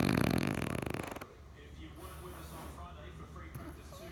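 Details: French bulldog snoring while sleeping and dreaming: a dense, buzzy, rattling pulse train of about one second, rapid and harsh, then a quiet stretch with only a soft low hum and faint rustles.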